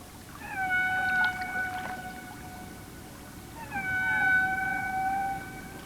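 Two long, steady whale tones, each a drawn-out harmonic moan that swoops up briefly before holding level.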